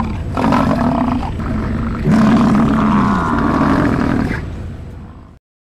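American bison giving deep, rough, drawn-out bellows, a short one followed by a longer, rumbling roar lasting about two seconds.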